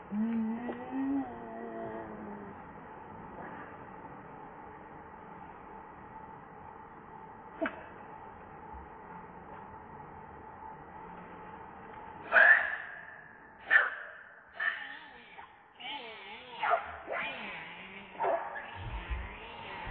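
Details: Baby monkey named Rainbow, hungry and wanting milk while its mother refuses to nurse, cries in a run of wavering, harmonic wails and squeals. They burst out in quick repeated bouts after a quieter opening stretch over a steady background hum.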